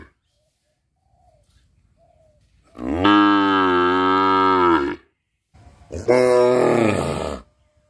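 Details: A cow in a village in Bangladesh gives two long, deep moos during its daily routine, the first about two seconds long and the second slightly shorter.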